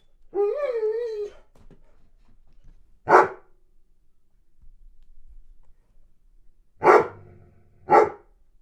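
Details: Weimaraner pining while boarded away from home, indoors: a wavering whine about a second long, then three sharp single barks spaced irregularly, at three, seven and eight seconds, with quiet gaps between.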